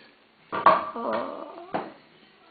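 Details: Welsh Springer Spaniels Frauke and Aisling begging for food indoors at mealtime; a short, high, wavering whine with yelping breaks, then brief sharp yelps, in a small room with people's voices nearby.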